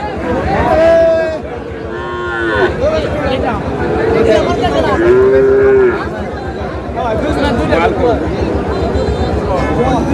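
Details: Sahiwal bull calves at a Mymensingh cattle market, Bangladesh, in May; a few short bellowing moos, some arched and tonal, rise over busy crowd chatter and voices.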